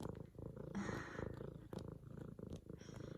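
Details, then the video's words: Excited female F2 Savannah cat kneading a leopard-print pillow as her owner gets home from work, purring loud; continuous low throbbing rumble, rapid even pulses, a faint human voice briefly in the background. "F2 Savannah Cat Zara Making Some Serious Biscuits And Purring!"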